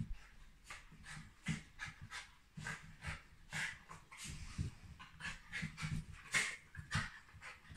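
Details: Happy Shiba Inu panting steadily, each breath a short airy huff that repeats in a loose rhythm for several seconds, with faint low whimper-like tones mixed into some breaths.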